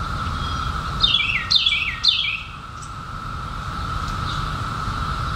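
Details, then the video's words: Periodical cicadas emerged in 2021 after seventeen years underground: a steady, even buzzing drone hums without a break, while a few descending bird chirps break in early, then only the insect chorus carries on. "SOUND OF CICADAS 2021"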